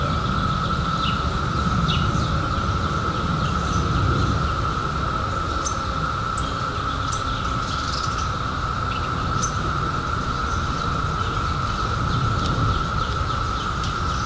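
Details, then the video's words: Seventeen-year cicadas emerged in 2021 hum in one continuous level drone throughout, while birds add quick high chirps and ticks every second or so above a low environmental rumble. "CICADAS 🌿 Sounds"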